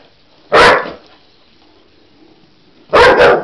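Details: Cocker Spaniel Husky mix dog barking at a toy animal it sees for the first time and seems to think is real: two loud, sharp barks about two and a half seconds apart, the second a quick double, with quiet room between.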